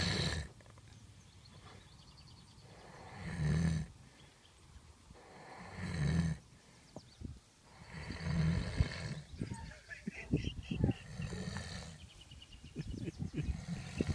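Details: Gypsy Cob filly Prada, nearly a year old, asleep lying in her hay after eating, snores: low, rasping, broad breaths recurring about every two and a half seconds, with a person talking quietly in the latter part.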